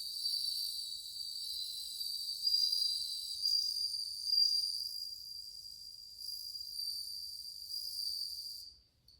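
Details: Bell crickets in numbers, August 2020, give a bright continuous bell-like trill with overlapping singers, slight swells in volume, before the ringing cuts off abruptly at the end.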